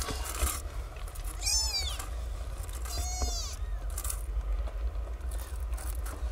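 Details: Young kittens from a litter of nine strays, only recently born and learning to suckle from their mother, give two thin, arching meows about a second and a half apart against constant low hum and some rustling.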